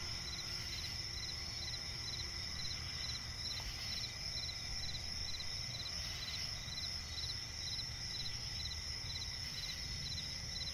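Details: Swamp forest at night filled with cricket song: rhythmic chirps a little over two per second above a continuous high trill, plus faint low environmental rumble.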